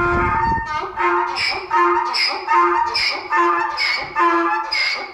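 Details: Donkey braying: loud harmonic hee-haw cycles that alternate a steady low tone with higher, rasping bursts, repeating roughly every second through the whole stretch.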